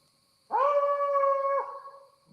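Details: Coyotes answering a call made by a team outdoors at night at LBL, with a house dog possibly mixed in: one clear, steady howl held about a second, starting with a quick rise and ending abruptly, over a faint constant tone.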